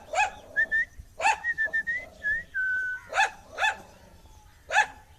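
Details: Angry dog barks loudly in single sharp yaps about once a second. Clear high whistled notes, steady and slightly rising, sound between the barks.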